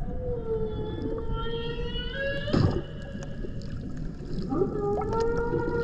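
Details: Humpback whales at Banco de la Plata, Dominican Republic, 2024 expedition: sustained harmonic moans that bend and glide, a short crackling burst midway, then a swooping upward call, with steady low water noise throughout.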